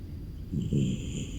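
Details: A beagle sleeping in its kennel on a cold, rainy morning snores with a low, rumbling rasp that swells and fades with each breath, much like a human.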